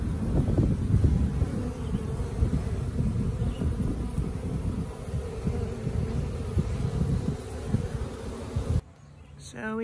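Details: Honey bees from a wild colony newly moved into a tree next to a house; dense low continuous humming of many bees, ending abruptly in a short burst of unrelated sound.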